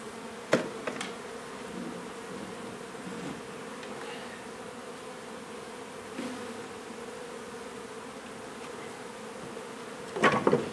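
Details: Honey bee colony hum during removal of a hive from a renovated old house in Donna, Texas, before relocation; an even, continuous drone fills the recording, with loud knocks near the start and a clatter near the end.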